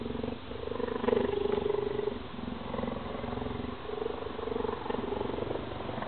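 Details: Cheetah giving a loud purr: a pulsing, buzzy throb with a faint tonal hum that swells and fades in waves, running without a break against a noisy background.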